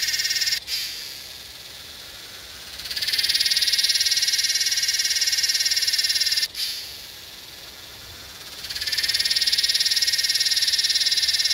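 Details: Yellowbelly cicada (Psaltoda harrisii) calling in Northern New South Wales, Australia, on 8/12/20: a loud, high, pulsing buzz that swells up, holds steady for several seconds, breaks off, then builds again into a second long phrase.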